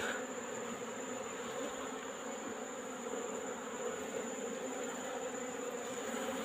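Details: Asian honey bees (Apis cerana) from a wild colony in a rock hole, recorded in the afternoon as the colony is being collected. A steady, dense buzz holds throughout with a low hum and faint hiss, unbroken for the whole stretch.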